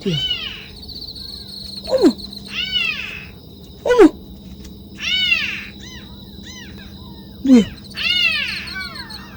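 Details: Orphaned kitten crying at night near a sewer during a flashlight search: repeated high, arched, wavering meows at uneven intervals, interleaved with short sharp downward-sliding sounds.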